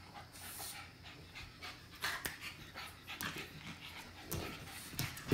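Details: Puppies at play, filmed in 2017, with soft rapid panting breaths throughout and a few sharp thumps and scuffles from their movement.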